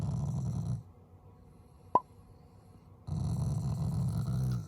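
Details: Family Shiba Inu giving an affectionate, not angry, growl: a deep rumbling burst, a quiet gap broken by one sharp click, then a second sustained low growl of over a second.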